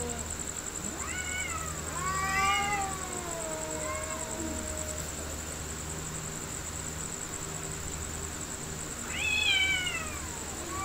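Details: Real fight between two cats: a wavering, moaning yowl that rises and slowly falls over about three seconds, a long quiet gap, then one short, sharp rising cry near the end, with a constant high-pitched hum behind.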